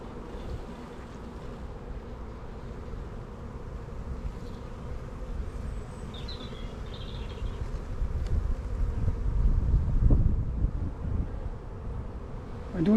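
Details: Dense, continuous low hum of a busy honey bee colony opened for inspection in an apiary, many young bees and drone cells; the droning swells louder toward the end, with occasional knocks and rustling.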